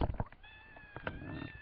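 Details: Mother cat seeking her kittens utters a short, steady meow after a few knocks, the tone held level and fading out.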